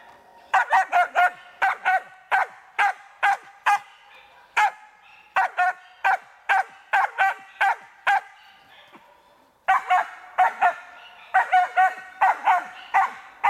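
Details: Karelo-Finnish Laika in marten training, barking in rapid bursts of sharp, clipped barks, roughly two per second, with a short pause mid-sequence before barking resumes just as quickly.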